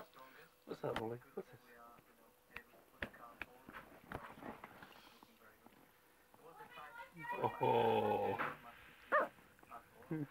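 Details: An excited female Lhasa Apso puppy, wound up by people blowing in her face, waves her paws and gives sharp yelps and a burst of harmonic, whining barks, with people talking.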